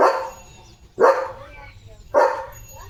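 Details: Leo, a German Shepherd kept as a pet, barks while playing in the morning: three strong, full barks roughly one second apart, each fading quickly, with little else audible.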